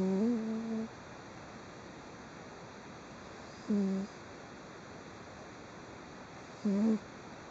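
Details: Domestic cat deep asleep and twitching slightly, 3 June 2011, gives steady tonal snores, low hummed notes with harmonics. One longer note is followed by two short ones spaced about three seconds apart against faint room hiss.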